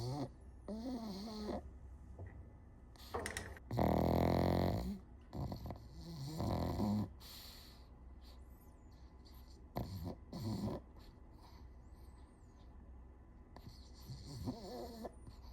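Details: Pug snoring indoors: deep, rattling snores in uneven bursts, a long, loud one near the start and wavering, whistly snorts in between, with quieter wheezy breathing filling the gaps.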